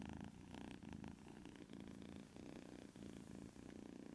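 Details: White kitten snoring while asleep: a rough, low buzzing rumble that rises and falls in short breaths, with slight pauses between them.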